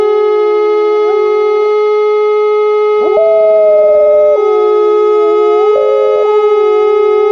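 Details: Liza, an Alaskan Malamute on a winter walk, howls along with a monthly air raid siren test. Her wavering, slightly sliding howls rise above the loud, steady siren tone in two bursts, the longer one lasting about a second.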